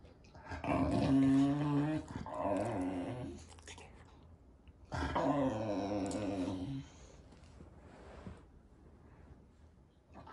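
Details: English Bulldog puppy indoors, grumbling after being refused a water bottle: two long, moaning, harmonic groans of about three and two seconds, separated by a pause, then quiet room noise.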